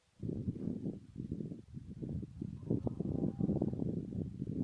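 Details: A red deer stag, mainly a 14-point stag, roars in deep, hoarse, pulsing bellows during the 2014 autumn rut; red deer.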